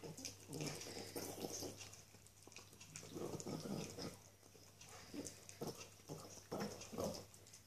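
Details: Pig-like snorting grunts come in several clusters from a little female Norwich Terrier enjoying a delicious bone, mixed with wet chewing sounds and a low background hum.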